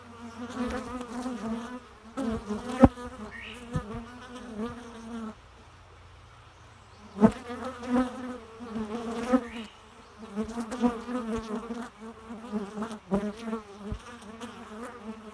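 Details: Bee buzzing with steady droning harmonics, rising and fading as it passes close, in loud bursts broken by a quiet gap midway, with occasional sharp clicks and taps.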